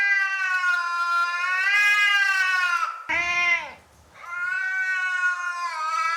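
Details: Domestic cat sounds for attracting another cat: two long, loud, harmonic meows with a slight wavering pitch, broken by one short, falling cry in the middle.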